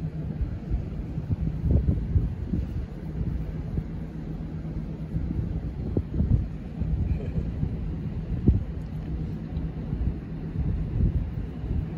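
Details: Steady low rumble of passing traffic with wind buffeting the microphone and occasional thumps, no animal calls audible.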